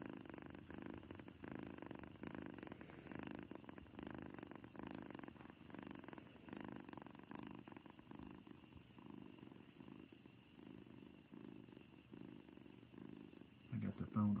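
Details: A happy domestic cat purring, a steady low rumbling purr with soft rhythmic pulses running without a break, in a quiet indoor setting; a brief louder rustle comes right at the end.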